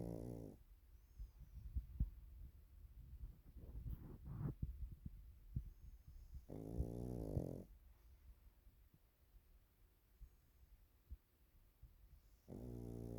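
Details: Pekingese named Waffle snoring while napping: low, buzzy, pulsed rumbles in bursts near the start, at about six and a half seconds and again at the end, with soft breathing and faint rustles between.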